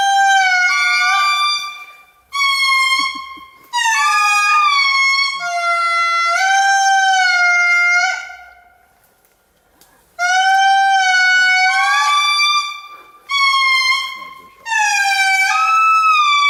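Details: Wild Indri morning chorus in Andasibe-Mantadia National Park, Madagascar, 2018: long, loud, sustained wails that jump between pitch levels and swoop, several animals overlapping in phrases lasting a few seconds, with brief silent gaps between.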